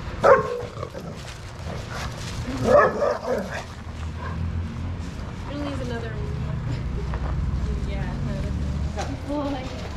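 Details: Shelter dogs at play in the yard of Pima Animal Care Center, Arizona, barking while having fun; a short bark opens, another burst of barking follows near three seconds, then low rumble and people talking.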